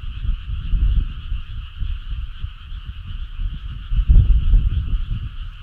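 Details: Frogs on a summer night, a steady dense chorus of trilling calls forming an unbroken hum, with irregular low rumbling bursts underneath throughout.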